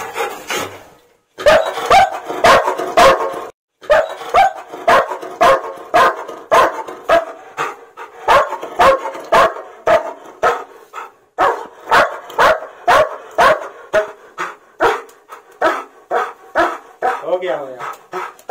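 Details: German Shepherd protesting during bath time, voicing discomfort: a long run of sharp barks and yips, roughly two a second, with short whining notes between and a final drawn-out whine.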